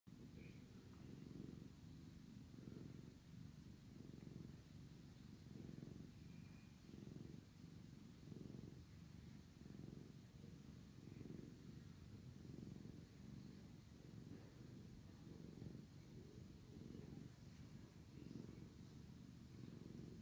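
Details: Sleepy male cat purring loudly while his brother cat licks and cleans him indoors; continuous low rumbling purr swelling and fading in regular breaths, roughly every one and a half seconds, with faint licking sounds above.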